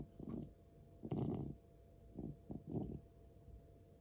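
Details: Asthmatic domestic cat, 13 years 4 months old, indoors: four low, rough, wheezy breath bursts in quick succession, the second longest and loudest, separated by short quiet gaps.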